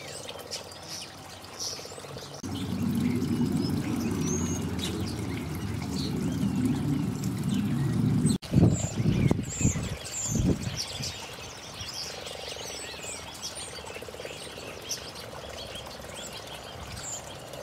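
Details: Frogs gathered on a garden pond in early spring 2012: a loud, close, deep purring croak rattles for about six seconds, followed by splashing, then fainter croaking, with birds chirping throughout.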